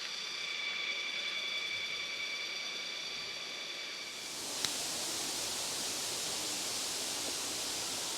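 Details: Crickets in tropical jungle at Erawan Waterfall, Kanchanaburi, Thailand, near the viewpoint between levels four and five, give a steady, high, ringing trill before the waterfall's rush drowns them out.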